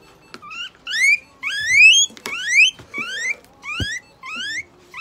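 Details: Pet guinea pig at a veterinary clinic in Nagoya, Japan, during treatment that includes eye drops, an injection, light therapy, moisturizing and brushing. It gives loud rising squealed wheeks, about six in a row, each a rapid upward sweep, with faint room knocks.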